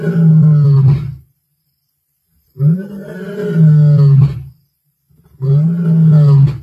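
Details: A male lion of the Black Dam group roars on 1 February 2024: deep, drawn-out roars, each lasting over a second, separated by short silences.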